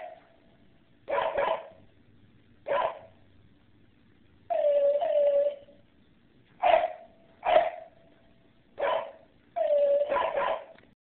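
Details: Barking dogs giving sharp, mid-pitched barks in irregular bursts, some single and some doubled or tripled, a few stretched into short whining yelps, with quiet gaps between bursts.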